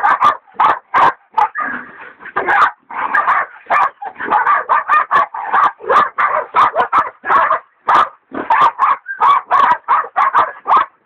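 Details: Two hog dogs, Dixie and Dollie, bay a big sow hog, Dollie being a leopard dog in training; dense, overlapping barking with near-continuous yelping and few gaps, both dogs calling together.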